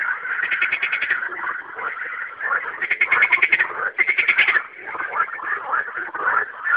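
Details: Frogs singing at night, rapid pulsed rattling croaks in bursts of under a second, layered over a constant background chorus of other frogs.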